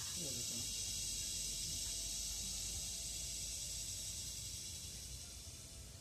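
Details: Philippine cicada (kuliglig) in forest producing a sustained shrill buzzing drone, with a brief human voice near the start and the buzz fading slightly toward the end.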